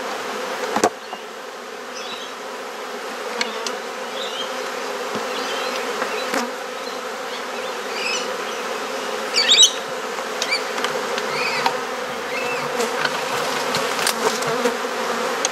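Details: Honey bees droning steadily around a garden hive in Perth, Australia during an inspection, an even low hum with faint high chirps and occasional sharp knocks.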